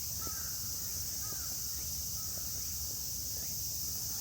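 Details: Midsummer chorus of cicadas, likely large brown cicada, tsukutsukuboshi and minmin, in Yoyogi Park, Shibuya, Tokyo, under strong sun: a steady, high, hissing drone throughout, with a few faint, brief bird calls behind.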